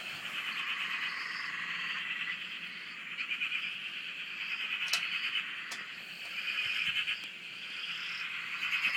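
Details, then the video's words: Many frogs calling together at a dam in Australia, heard from a shack: a steady buzzing, pulsed chorus with fainter high upslurred notes drifting over it and two brief sharp clicks midway. "Frog Chorus- Australia"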